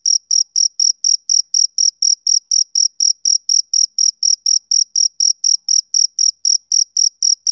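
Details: Male cricket on a summer evening giving a continuous series of piercing short chirps, close together at around four a second, clock-like in rhythm against silence.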